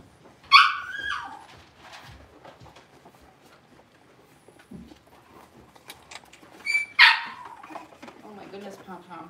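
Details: Six-week-old blenheim Cavalier King Charles Spaniel puppies, a litter of five born at New Year's, in a home puppy pen: two high, harmonic yelping whimpers, one near the start and one about six seconds later, with human speech and light clatter between.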